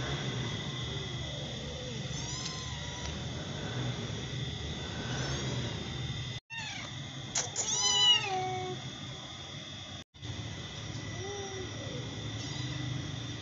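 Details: Two white domestic cats, a mother and her same-coloured daughter, meow in rising and falling wavering calls over a steady background hum.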